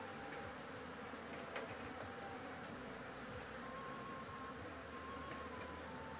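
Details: Bees at a nest on a house roof during a honey harvest, giving a dense, steady humming drone throughout with a low rumbling undertone and a faint thin whistling tone drifting in the background.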